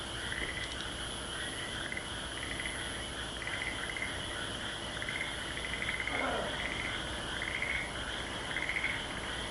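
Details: Frog chorus at Aso, with repeated pulsed croaks near the same pitch forming bursts about every second, over a steady high insect-like hiss and a brief lower sound around the sixth second.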